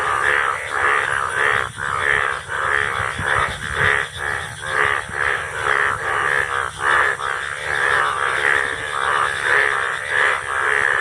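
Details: Indian bullfrogs calling together in the rainy season, a continuous rolling mass of coarse, buzzy croaks, roughly one to two a second, from several overlapping frogs.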